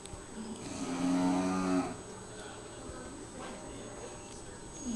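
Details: Bulldog asleep after a long day at daycare, snoring very loudly: one drawn-out, droning, moan-like snore with a low humming tone, then quieter breathing, with a woman speaking softly nearby.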